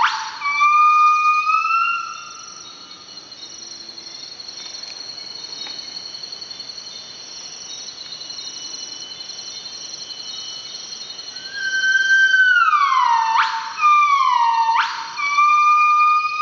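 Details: Wild northern buff-cheeked crested gibbon in the Veun Sai-Siem Pang Conservation Area, Cambodia, giving its morning song around sunrise. Clear tonal hoots open the clip, then a quiet gap, then falling whistles followed by quick steep upward sweeps.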